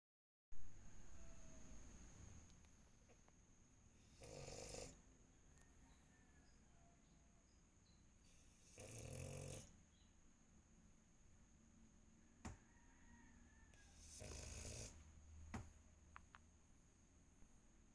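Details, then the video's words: French Bulldog snoring while asleep; three deep, rasping low snores spaced about five seconds apart, each lasting under a second, over a faint steady background hum. "french bulldog snore"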